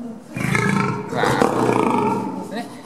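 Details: A male zoo lion from Asahiyama Zoo, angry at a staff member he dislikes, fearing injections since treatment when young, gives a deep, drawn-out, rough, resonant moaning roar, with people talking nearby.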